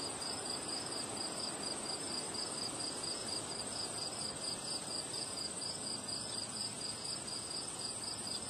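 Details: Crickets on a windy day, a sustained high trill of quick repeated pulses holding steady throughout, backed by heavy rushing wind and a continuous thin high tone.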